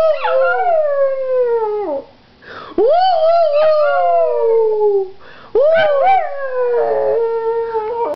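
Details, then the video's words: Howling pug: three sustained, strongly harmonic howls, each swooping up at the start and then sagging gradually lower over one to two seconds, with short quiet gaps between them and a faint yip-like wobble near the end. "Howling Pug"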